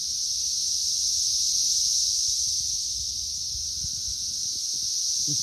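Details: Periodical cicadas swarming a tree as busy as a beehive in May 2024, in the third week of the emergence. Their dense chorus is a steady, high-pitched droning hiss with no breaks.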